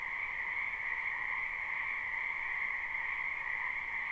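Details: Many frogs in a spring wetland near a house, heard live without looping, merge into an even, shimmering croaking chorus with two pitched layers, high and middle, and no gaps or other sounds.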